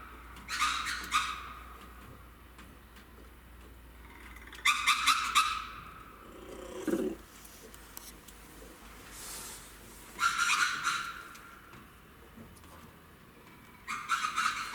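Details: Red ruffed lemur in Saitama Children's Zoo, Japan, recorded 3 February 2018. Short harsh bursts of rapid pulsed barking come in bouts every few seconds, with brief quiet gaps and a soft low sound between them.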